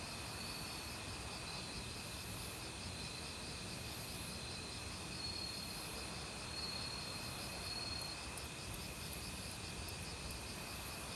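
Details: Autumn cricket chorus from a forest mixed with other insects: layered high whirring and a rapid pulsing trill, a few faint clicks late on, all over constant stream water noise; not recorded with professional gear.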